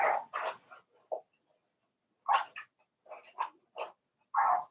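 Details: Four-week-old Cavalier King Charles Spaniel puppies in Daisy's puppy pen give short, harsh yappy barks and yelps in scattered bursts, with quiet gaps between calls.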